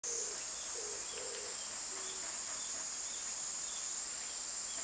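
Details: Cicadas singing in summer: a steady, shrill high-pitched drone runs unbroken through the whole recording, with a few short, low, hollow tonal notes from another caller near the start and faint chirps scattered above.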